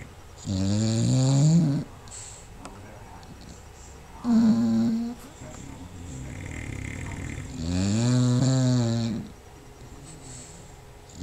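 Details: Sleeping bulldog Paisley snoring with housemate Magoo also snoring nearby: three long nasal snores, each a buzzy low drone with a rising then falling tone, separated by quiet breathing pauses.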